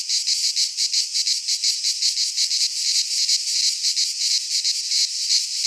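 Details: Cicadas sing in a pine forest in Greece during midsummer, a piercing sizzling buzz swelling in rapid even pulses, with one faint click partway through.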